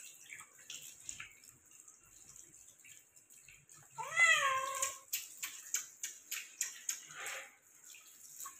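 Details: Persian cat meowing while being given a shower: one drawn-out, wavering meow that rises then falls, lasting about a second, amid splashing and running water and scattered drips.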